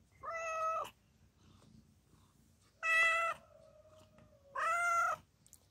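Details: A mother cat in labour with four kittens, seeking help from a person, meows three times at roughly two-second intervals, each call even-pitched and bright, with a thin faint tone lingering between the second and third.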